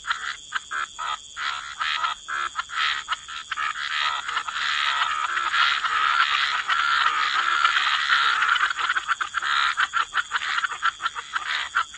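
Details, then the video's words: Chorus of frogs at the water's edge, choppy rasping croaks quickening into a dense continuous wall of sound mid-clip, then breaking again into fast, separate pulses about twice a second. "Relax to the Sound of Croaking Frogs"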